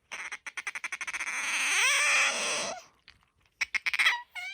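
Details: Indoor pet otter named Bingo with a high-pitched, soprano voice: a chain of about a dozen fast squeaks merges into one long shrill squeal that rises and falls, then more rapid squeaks and a short upward call.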